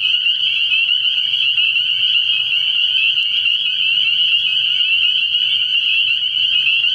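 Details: Dense chorus of spring peepers at a frog pond at night early in the year: countless high, piping peeps merge into one steady, shrill band with no breaks, and only a faint low rumble beneath.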